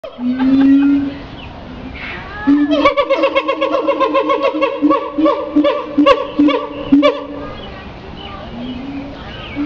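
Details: Siamang calling: a deep rising boom, then a fast run of loud barking notes that repeat roughly every half second, punctuated by sharp accents and low booms, before a final boom fades out.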